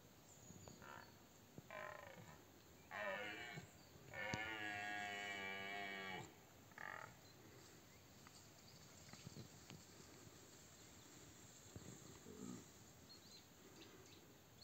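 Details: A powerful red deer stag about 50 m away roars during the 2024 rut: short coarse grunts build into a long, deep, throaty bellow of about two seconds, then fainter grunts, over a steady background hiss.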